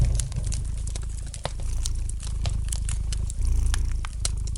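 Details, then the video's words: Low, even purr of a pet cat resting by an indoor fire, the rumble pulsing softly with its breathing while dense crackling and popping from the fireplace scatter across the recording. "Relax to the gentle purring of the cat and the light crackling of the fire in the fireplace!"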